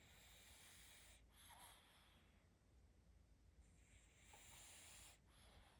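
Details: A baby pug snores softly while asleep: two long, airy, hissing breaths a few seconds apart, breathy and slightly wheezy, over a faint, steady room hiss.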